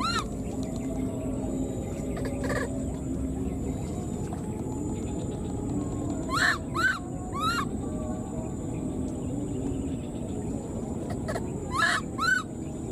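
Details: Left behind in the wild, a newborn baby monkey keeps calling for its mother with brief high squeals rising then falling, given in pairs separated by long pauses, against a constant low rumble and occasional clicks.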